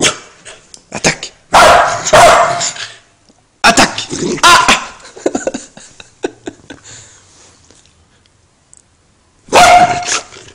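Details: A female Welsh Corgi, who hates lighters, gives loud, sharp barks in bursts with quieter clicks and rustling between them, apparently reacting to a lighter.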